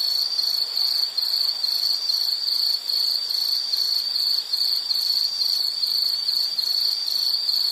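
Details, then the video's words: Shrill insect trilling from a soothing nature-sound piece, rapid pulsed chirps repeated about twice a second in an unbroken high band, steady loudness, only faint hiss otherwise. "Nature Sound of nature sounds scenery L · insect"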